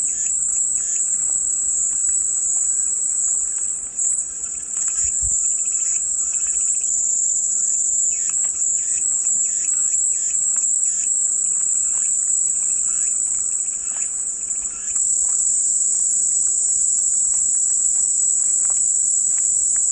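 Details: Continuous piercing cicada drone offered as soothing white noise, an even high whine that barely wavers over twenty seconds, with soft chirping from small birds flickering in the background.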